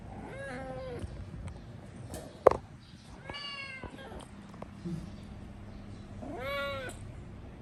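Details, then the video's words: House cat screaming with three separated meows, arched and nasal, one sharp click between them, over a quiet low rumble. "Cat is very good at screaming"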